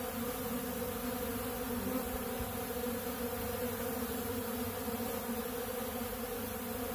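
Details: Honey bees feeding on ultra bee pollen from a big blue pollen feeder; a dense, steady droning buzz of many bees with layered humming tones, continuous throughout without pauses.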